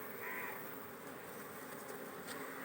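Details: Honey bees at a kept hive in Kerala, beekeeping work underway: a steady, dense low hum with a droning band held throughout, a faint higher buzz near the start and a few soft clicks.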